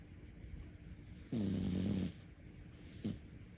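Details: Sleeping cat snoring: one drawn-out low rasping snore lasting under a second, pitch sliding gently downward, followed by a brief short snort; quiet indoor background.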